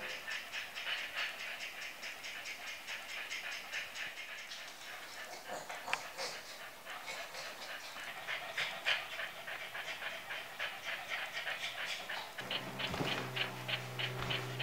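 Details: Boston Terriers, exhausted after a short walk, pant in quick rough breaths about three times a second; soft music joins near the end.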